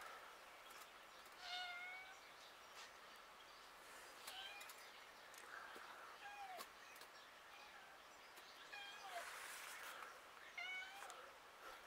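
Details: Domestic cats filmed outdoors in streets and villages; several short harmonic meows, some rising then falling, come every two to three seconds over a steady hiss of outdoor background noise.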